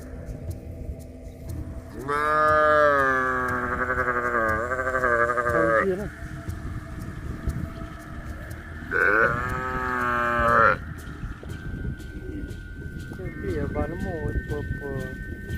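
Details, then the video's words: Cattle lowing in two long, rich calls, the first about four seconds with a wavering pitch, the second shorter, then a steady faint tone and a softer trailing sound amid constant low background noise. "CUTE AND FUNNY COW SOUND"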